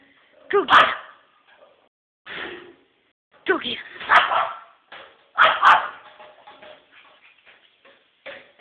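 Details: Small Pekingese indoors barking protectively to warn of a man beating on an empty plastic water bottle; sharp, high barks in bursts with gaps between, mixed with a person speaking.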